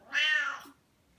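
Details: Pet Siamese cat meowing because it wants petting: one long, loud, bright meow, steady then slowly falling away, lasting about half a second, followed by quiet.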